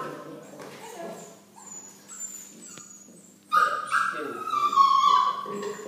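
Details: Eight-week-old Golden Retriever puppy being microchipped before leaving for a new home: quiet murmuring at first, then a sudden loud, high, sustained whine with a wavering pitch lasting about two seconds.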